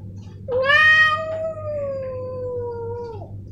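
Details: A male domestic cat, Snowy or Milo, lets out one long drawn meow, loud at onset then sustained and slowly falling for nearly three seconds before a quick downward end, against faint low hum.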